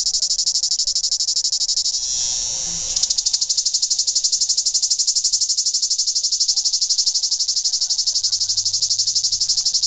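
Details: Daytime cicada call in Greece, locally tzitziki: a continuous shrill buzz, briefly a smooth hiss near the start, then a fast, even pulsing rattle sustained to the end.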